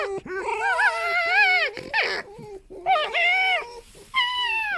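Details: Female pet fox rescued from a fur farm, squeaking as the foxes vie to be loudest and gain control; long tonal whines with wavering pitch, a short noisy burst between them, then further high rising squeals.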